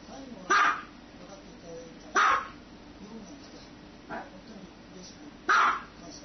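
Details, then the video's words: Dog barking: three loud, short, broad barks spaced irregularly about one to three seconds apart, with a fainter bark between them over a low background hum. "Dogs barking"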